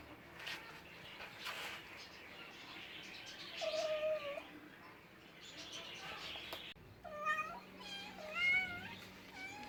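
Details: Cats meowing: a drawn-out, wavering meow midway, then a run of short bent meows rising and falling in pitch near the end, over background clatter and a low steady hum.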